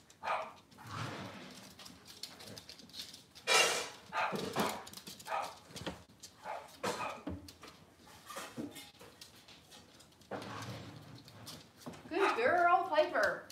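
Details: Cavalier King Charles Spaniels, with puppies, indoors on a kitchen cam one cloudy Monday morning; scattered short barks and clattering bursts through the room, ending in a rising and falling harmonic whine.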